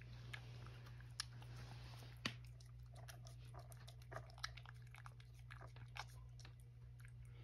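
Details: Indoors at Kazeno Kobo, Sacchan, a male rescue cat, eats a breakfast of tuna with an added cup, giving a run of small crisp bites and wet crunches, several sharper clicks, over a constant low hum.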